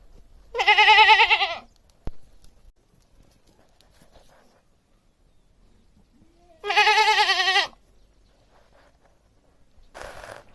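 A domestic goat gives two loud, wavering bleats several seconds apart.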